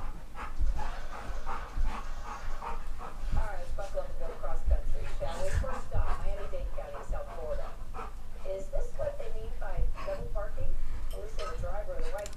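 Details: Geordie, Ellie and Max, three pet dogs at play, give strings of undulating moaning growls and whimpers, rising and falling in short bursts, mixed with thuds of bodies and someone speaking nearby.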